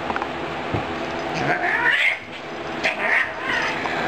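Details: Two cats, Buddy and Rocky, in a quick fight: drawn-out wavering yowls and caterwauls rising and falling in pitch, with short sharp outbursts, a person's voice speaking nearby.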